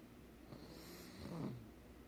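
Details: A pug fast asleep, snoring: one soft, low, rasping breath swells and fades around the middle of the clip over a faint steady background hum.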